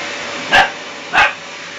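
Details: Jeany, an 11-week-old puppy, barks at a running vacuum cleaner: two short, sharp yipping barks about two-thirds of a second apart, rising clearly above the steady hiss and hum of the machine.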